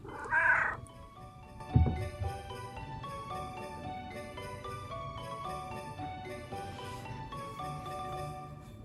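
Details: Rescued house cats, black male Vivi and red tabby female Lizzy; one brief, high meow opens the stretch, followed by a dull thump and then gentle marimba-like background music with no further calls.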